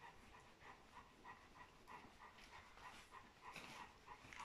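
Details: Golden Retriever puppies from a rare litter of fourteen, nursed by their mother. Thin, high squeaks repeat quickly, roughly every half second, some with a higher overtone, over steady soft hiss and rustling.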